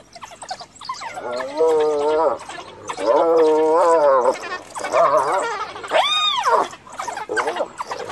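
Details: Female hyena cornered by a pack of wild dogs beside her dead cub, calling for clan members to help; long wavering moaning calls held for over a second each, with a final sharp rising-falling yelp and background chatter.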